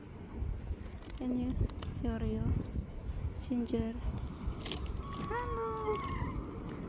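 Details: An angry stray mother cat at a spot where cats are fed, hostile toward her frightened kittens, gives three short bursts of low harmonic growling cries, then higher drawn-out wails, with a person talking nearby over steady background rumble.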